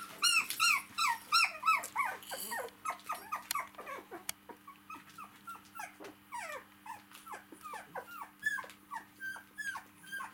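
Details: Four-week-old domestic dog puppies playing with their mother, who lies on her back; a rapid run of high, harmonic yelping whines, each arching then dropping, about three per second, over a steady low hum.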